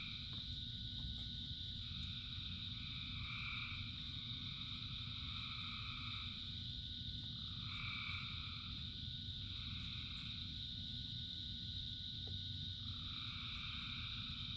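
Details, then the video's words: A huge chorus of frogs sings through the rain, continuous high droning trills overlaid by swelling mid-pitched bursts that come and go every couple of seconds, all over a constant low roar of falling rain. "Frogs in Rain 2 Hours of Frogs, Thousands of Frogs Singing"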